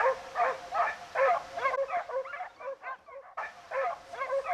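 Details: Segugio Italiano pack, European champions of 2004, on a hare hunt: rapid overlapping yelping bays from several hounds, pulsing about twice a second, with a brief dropout in the middle.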